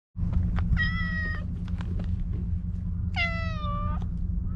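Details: Maro, a stray cat in a park, meows affectionately while being stroked: two clear, drawn-out meows about two seconds apart, each starting higher and sliding slightly down, over a steady low rumble of background noise.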